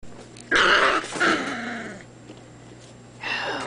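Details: Irish Terrier puppies, 28 days old: two loud, harsh yelping barks in quick succession early on, then a quiet stretch of faint rustling, ending with a shorter, softer yelp.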